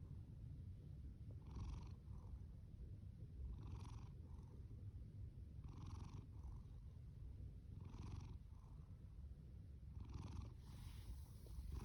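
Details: Thunderous purring and snoring from an orange tabby male cat named Fasu, born October 2019 and taken in from a shelter; six rhythmic wheezy snore breaths about every two seconds ride on a deep steady rumble.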